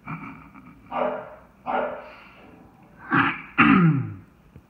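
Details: English Bulldog, chocolate tri merle, worked up at a knocked-over bucket at home; harsh, raspy bursts, five in under five seconds, growing louder and rougher toward the end, with snorting breaths between.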